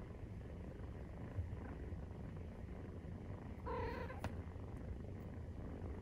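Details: A low, unbroken purr while Maine Coon cats nurse, kitten 43 days old; about two-thirds of the way through, a brief high mew rises over the rumble, followed by a sharp click.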